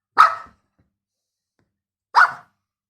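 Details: Toy poodle playing hide and seek indoors: two short, sharp barks about two seconds apart, each a brief bright burst with silence between.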